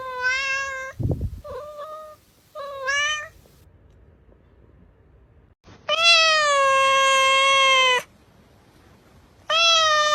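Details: Cat meows meant to attract cats, several clear harmonic calls, one long steady meow lasting about two seconds, short mews before it and a thump early on, otherwise quiet.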